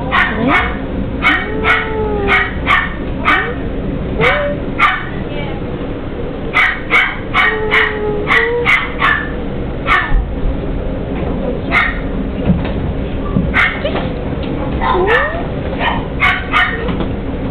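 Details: Puppies behind glass at a puppy shop give sharp, high yapping barks in quick irregular bursts, mixed with thin rising and falling whines, over a steady low indoor hum and faint background voices.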